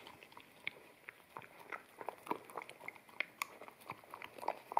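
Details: Wet kibble is crunched and chewed by an Akita puppy eating off a bamboo plate indoors, recorded in stereo with a ZS100; short sharp bites and moist smacks follow irregularly, several per second.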